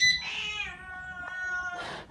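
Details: A domestic cat reacts to an alarm system's noise with a drawn-out, harmonic meow that starts bright, then settles into a steady, slightly falling tone.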